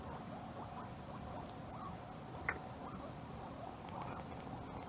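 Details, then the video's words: Several guinea pigs charging over the hill in a morning carrot battle, competing for carrots while grazing on grass; soft overlapping squeaky chirps and wavering squeals run throughout, with rustling and chewing clicks and one sharp tick near the middle. "Guinea Pig Carrot Battle"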